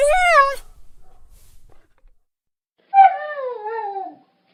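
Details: Puppy crying in sadness: a brief, high, tonal whine that falls at its end, a near-silent pause, then a longer wavering cry that drifts downward and fades out.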